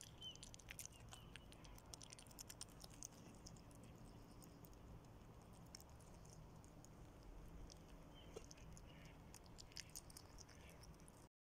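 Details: A nutria eating spaghetti: irregular, moist crunching and sharp clicking bites scattered throughout, over a steady low hum.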